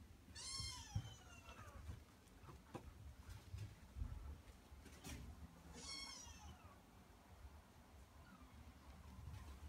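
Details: Maria, a male Norwegian Forest Cat, meows twice, each call bright and sliding downward, the second about five seconds after the first, with scattered soft taps and a low background rumble.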